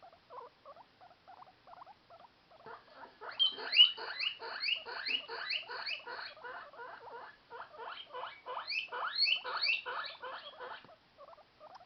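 A guinea pig gives its hunger call, a run of loud, high, squealing wheeks repeated in quick succession.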